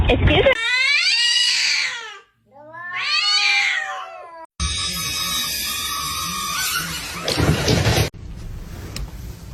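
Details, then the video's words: Kitten meowing: two long, drawn-out, strongly harmonic meows, each rising then falling over about two seconds with a short pause between, followed by loud music and broadband noise. "kitten meowing"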